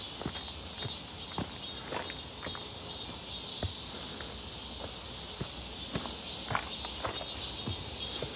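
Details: Cicadas near Seonbawi on a hot, clear midsummer day, 1 August 2023, during a walk: a continuous high whirring drone, with regular footsteps and occasional sharp ticks clearly audible over it.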